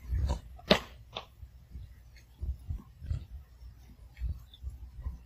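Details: Pomeranian puppy eating its food piece by piece indoors, a sharp crunch early then softer repeated chewing bursts every second or so against low room hum.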